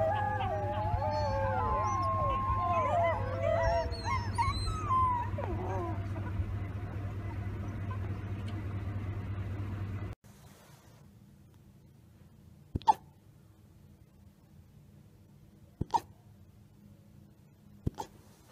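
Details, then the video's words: Several wolf pups howl together in a tangle of overlapping wavering, rising and falling wails over a steady low hum for about ten seconds, then near silence broken by a few sharp clicks. "Wolf Pups Howling"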